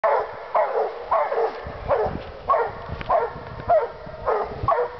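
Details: Two Walker hounds treeing, giving loud, repeated baying barks roughly every half second, each bark an abrupt rising-falling burst, keeping up an excited, irregular chorus.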